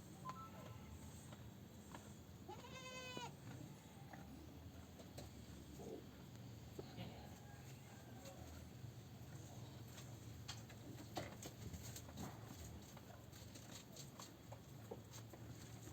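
A goat gives a single short, quavering bleat over a steady low background rumble.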